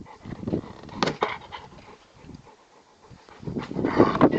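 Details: A Rottweiler playing with his favourite toy, a tyre, pants and grunts in short, uneven bursts, with a louder rough flurry at the end.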